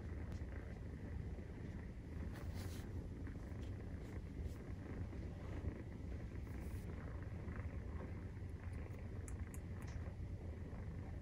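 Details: Maine Coon cat purring as kittens, 43 days old, nurse: a constant low vibrating rumble, with scattered small scratching and clicking noises on top.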